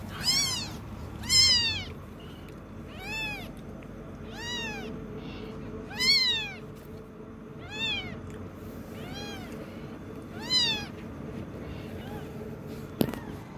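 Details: Kitten learning to walk, giving a series of high, arched meows, about eight cries spaced one to two seconds apart, each with a rising then falling pitch, over a faint steady background hum.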